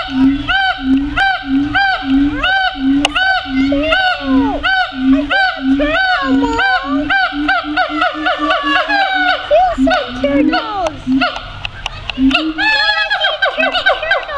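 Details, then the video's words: Siamangs at the Phoenix Zoo making lots of chatter: a steady run of deep, booming pulses about three per second, overlaid by loud rising and falling whooping cries with ringing harmonics that grow more frantic toward the end. "Siamang--Phoenix Zoo"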